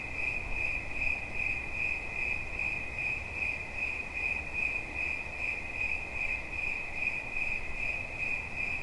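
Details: High ringing cricket chirps in a fast steady rhythm, about two and a half beats per second, with a noticeable low rumbling background.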